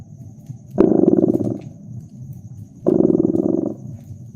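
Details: Domestic cat purring beside a crackling fireplace in a cozy winter setting: two loud, low, finely pulsing purr phases about two seconds apart, with softer breaths between, faint fire crackles and a steady thin high tone behind.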